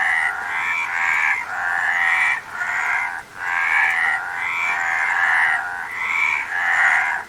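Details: Frog calling in a nature recording, long rasping croaks roughly a second or more each, pulsed and buzzy, following one another with brief gaps, steady and loud throughout.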